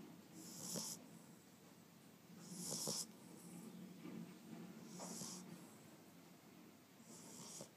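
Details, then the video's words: Eight-week-old Boxer puppy asleep after its first day in a new home, snoring softly: slow, raspy breaths, each with a faint hissing whistle, coming roughly every two seconds in a quiet room. "the snoring Boxer"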